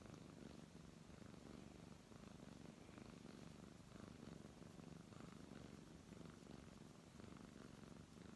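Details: Brown tabby cat purring while being stroked indoors; a steady low rumbling purr with gentle rhythmic swells, rising and falling with each breath, no other clear sounds.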